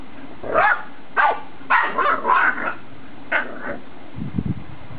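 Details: Playful Boxer puppy pestering a six-year-old female adult Boxer that remains unimpressed. Rapid burst of yappy barks, four to five in the first two and a half seconds and another at 3.4 seconds, followed by low grumbling thumps.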